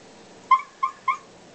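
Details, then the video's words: Domestic dog 'talking' back when asked about his day at the office: three short clear harmonic yips, evenly spaced about a third of a second apart, each slightly falling, in a quiet indoor setting. "Dog talking about day at the office."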